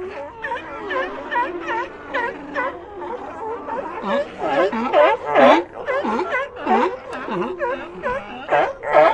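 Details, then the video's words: Loud, busy sea lion chorus: rapid, repeated bleating calls with dipping, V-shaped pitch sweeps, many animals crying at once in irregular pulses. "Ambient Sea Lions"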